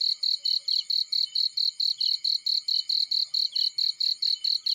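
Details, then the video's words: In a field, a cricket chirps in a fast, evenly spaced series of short, shrill pulses, roughly four each second, each chirp slightly trilled; nothing else stands out. "Burning with Cricket Sounds"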